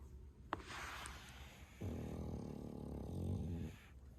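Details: A male French Bulldog named Bro, 11 months old, gives a loud snore: a sharp click and brief airy hiss, then a steady, deep, rattling rumble of almost two seconds that fades into quiet.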